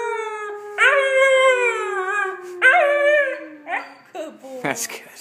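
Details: A blue German Shepherd puppy, a few months old, gives two high, wavering howls over a person's long, low, steady howl, howling along with them.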